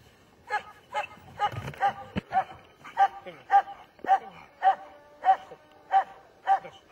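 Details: Rhythmic, insistent barking from a German Shepherd, about two barks per second and very regular, each bark short and bright, with a brief thump partway through.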